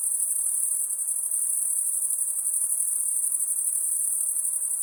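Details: Brief stretch of a nocturnal insect's high-pitched, unbroken ringing drone, steady and even, with faint hiss behind it.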